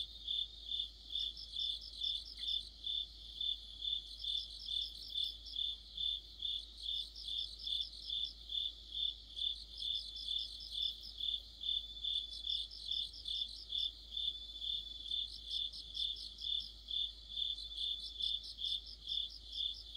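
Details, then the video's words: Crickets and fellow insects form an autumn chorus near a streetlight, a shrill chirp pulsing steadily throughout, with separate bursts of rapid trills recurring every few seconds over the base rhythm. "가을의 한 복판 곤충들의 합창"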